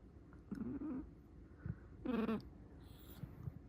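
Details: An angry Shiba Inu at the peak of its temper gives two short, low, voiced grumbles about a second and a half apart, the second louder and harsher, with quiet thumps and rustling between.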